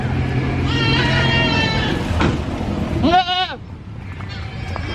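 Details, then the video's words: Brown goat calling at a busy animal market: a faint drawn-out bleat early on, then one strong, trembling bleat near the end, set against a low rumble of crowd and vehicle noise. "Brown Goat Bleating Loudly at Animal Market!"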